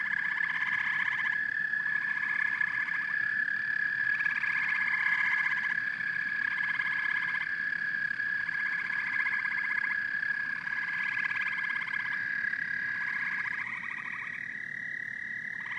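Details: A dense frog and toad chorus, with pulsed trills starting and stopping in short blocks about every second at two pitch levels. A continuous high ringing drone runs behind them, over a faint low background hum.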